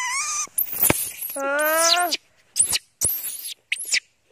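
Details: Janny, a pet monkey hungry for its mother, cries loudly: high, wavering harmonic screams, some falling and some arching sharply upward, broken by short gaps, with people talking nearby.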